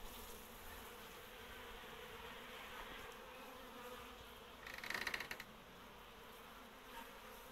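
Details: A honey bee swarm, third from the same hive and with four queens, settling into a new beehive; continuous even buzzing drone, briefly louder and harsher near the fifth second, then steady again.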